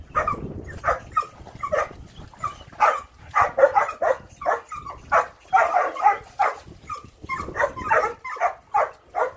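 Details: Rough Collie puppy delighting in water, barking in quick irregular bursts of sharp yips and clustered barks, a few slightly whining notes between, with splashy low noise at the start.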